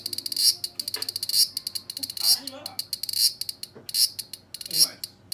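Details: High, rasping cicada buzz from a large brown cicada, dated 1 September 2020: chopped into quick pulses and louder bursts separated by short gaps, with occasional faint low sounds, possibly voices, below.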